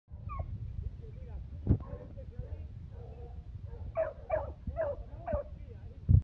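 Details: A lemon beagle on a leash gives tongue on a wild boar scent trail with a burst of four sharp, high, yelping barks, close together near the end; low rumbling handling noise and a couple of dull knocks run underneath.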